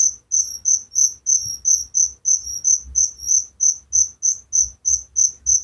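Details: Cricket chirping at night in an Indonesian village setting: high, shrill pulsed chirps repeated steadily about three times per second, each with a bright upper overtone, over faint low rumble.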